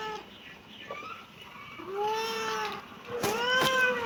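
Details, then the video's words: Kitten meowing: faint short calls at first, then a clear rising-falling meow and a louder, harsher final meow overlapped by sharp clicks. "kitten meowing"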